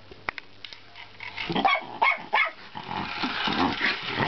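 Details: A Miniature Schnauzer gives a quick run of sharp, high barks while chasing a toy car, over clattering, whirring noise.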